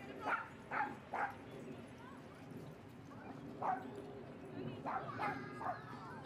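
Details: Dog barking at Seal Point Dog Park on an overcast day, where Rosy and Rocky play with playmates: three sharp barks in quick succession, a pause, then a scattered run of further barks, with human voices in the background.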